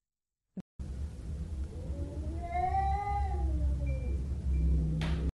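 A domestic cat gives a drawn-out, wavering yowl that rises and falls, a threat howl meant to avoid a fight.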